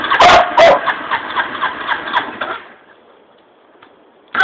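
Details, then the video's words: Kerry, a Border Collie that hates motorcycle exhaust noise, gives two quick sharp barks over a rumbling, pulsing motorcycle engine that fades out, followed by near quiet and another burst of sound at the end. "Border Collie hates motorcycle's sound"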